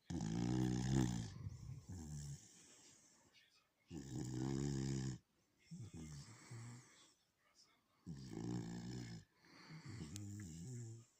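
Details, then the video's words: A beagle asleep, snoring loudly in low, buzzing, vibrating rasps; strong inhaled snores alternate with softer exhalations roughly every two seconds in a quiet room. "бигль храпит"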